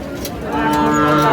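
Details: Sahiwal bull calf at a Sylhet cattle sale, 24 December 2024. One short, steady, even-toned moo swells in the second half, with bargaining voices around it.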